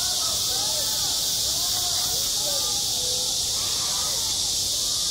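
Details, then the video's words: Cicadas singing at a school playground in midsummer: a dense, steady, high-pitched hiss-like buzz with no breaks throughout, with faint, wavering voices underneath. "한 여름 운동장에서 매미가 울고 있다 - 여름의 소리, 학교 종소리, 매미 울음소리"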